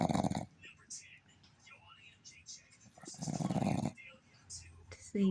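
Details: A female Boston Terrier snores with her eyes still open, in loud, rasping bursts a few seconds apart, with soft human voices.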